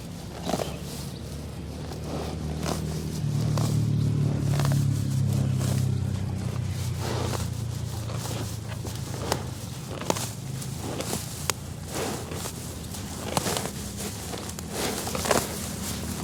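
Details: A water buffalo in Vientiane, Laos, grazes, tearing and chewing grass in crisp, irregular crunches over a low rumble.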